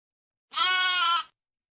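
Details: Sheep giving a single bright, wavering bleat lasting under a second, rich in high harmonics, against a silent background.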